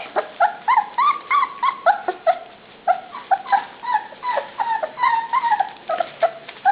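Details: Puppies at dinnertime, several pups including Crawler and Truffle, give a steady stream of high, tonal whines and yips, each short note rising then falling, overlapping in quick irregular succession with no other sounds.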